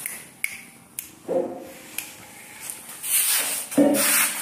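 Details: A small, trampled, hungry homeless Siamese cat eagerly eats spaghetti, giving two brief, nasal mews among sharp tapping and chewing noises.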